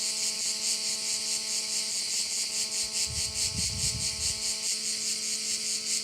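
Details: Shrill pulsing crickets at a Korčula bay, beating just over twice a second. A steady tonal mechanical hum runs beneath, and a brief low rumbling burst comes midway through.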